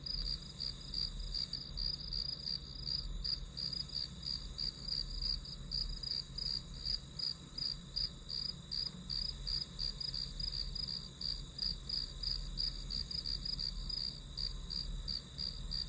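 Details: Grass insects sing as background white noise for a one-hour study session: a steady, high chirping pulsed about three times a second, unbroken throughout, over a low constant hum.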